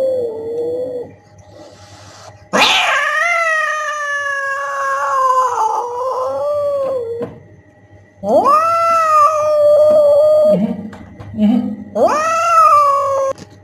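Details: Cat caterwauling, meant to scare mice and rats away: a harsh, loud onset followed by wavering drawn-out yowls, then several separate yowls, each starting with an upward sweep, over a faint steady hum.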